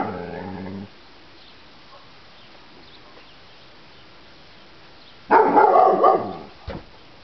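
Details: A female Weimaraner barks unusually. A harmonic whining bark opens, then a long silence, then a harsh, rough burst of barking lasting nearly a second, and a brief sharp click just after.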